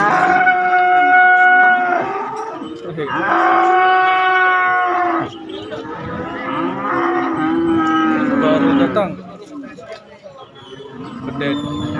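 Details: Calves and young bulls at a cattle market: three long, loud moos with rich harmonics, each about two seconds, separated by short pauses, with faint voices in the background.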